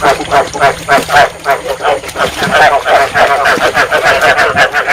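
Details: Field frogs calling as a lure recording meant to stimulate breeding and trap frogs in Vietnam: harmonic, throaty notes repeated about three times a second in a busy overlapping chorus, with a steady hum beneath.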